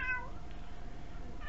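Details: Indoor pet cat begging for food while seated on a chair, filmed on a very small camera; two brief mewing calls, one at the start and one at the end, over a steady low room hum.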